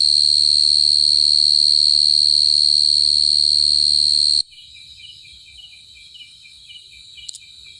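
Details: A cricket trills loudly and steadily at a high pitch, then stops suddenly. Quieter, lower chirps follow, repeated in a regular series, over faint background noise.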